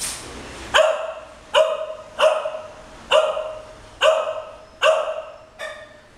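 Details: English Cocker Spaniels, nearly 13 years and nearly 9 months old, playing on a bed; sharp barks repeated about once every 0.8 seconds, seven in a row, clear and loud.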